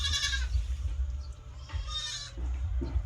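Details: Domestic goats raised on a farm, heard in two wavering, nasal bleats about 1.5 seconds apart, each around half a second long, over a steady low rumble of wind or handling noise.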